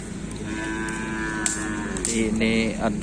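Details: Cattle from a racing team entered in a kerapan sapi bull race at a village anniversary celebration in Griduh Onggu; a long, steady, low lowing moo with rich overtones lasts about two seconds, followed by music and crowd voices.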